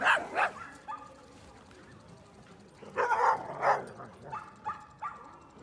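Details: Dogs at the dog run in Yoyogi Park, Tokyo: sharp barks come in short bursts at the start and again midway, with quieter yips and background voices between them.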